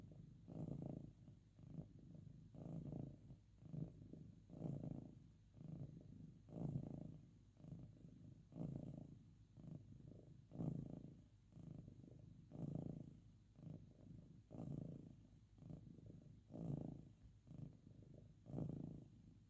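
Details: Pet cat purring while lying by its owner for sleep or petting; low, regular rumbling that rises and falls in even breath cycles about every two seconds throughout.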